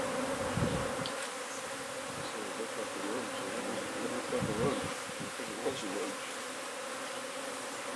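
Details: Continuous droning hum of a honey bee colony being removed from beneath a wood pile in McAllen, Texas; steady buzzing mass with low thumps and handling bumps scattered through, and a faint voice briefly.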